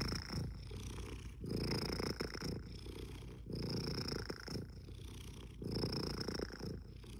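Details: Continuous cat purr, a low vibrating drone swelling and easing in breath cycles about every one and a half seconds, with a soft high whistling tone on every other breath and a quiet indoor background.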